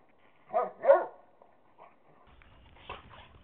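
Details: A dog barks at a playdate with another dog on May 5, 2010. Two quick barks close together are followed by fainter barks over a low rumbling background.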